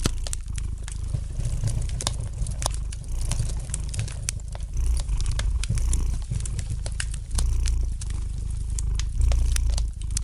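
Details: Domestic cat purring gently beside a fireplace, a steady low rumbling throb under sharp, irregular crackles and pops of burning wood in a small indoor room.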